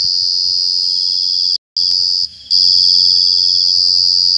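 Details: Loud, piercing cricket trill, high and constant in pitch, cut by a brief silence and a short muffled dip before the shrill continuous chirping resumes at full strength.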